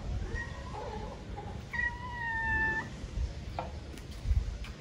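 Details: Newly tamed stray cats in a garden in Paraguay, described as very talkative, give drawn-out meows: a short harmonic call, then a long, level, nasal meow about a second long, with low background rumble.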